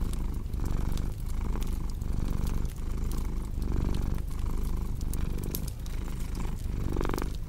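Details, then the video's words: Loud, rumbling purr from a domestic cat, rising and dipping in regular inhale-exhale pulses, layered with crackling fire sounds in a calm indoor relaxation mix. "Purring Cat with Cozy Crackling Fireplace Sound"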